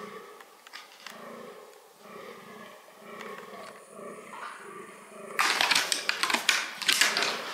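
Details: Fallow deer in its breeding behaviour: low, rhythmic, belching groans repeated in quick pulses for several seconds, then drowned by a sudden burst of loud broadband rustling and crackling.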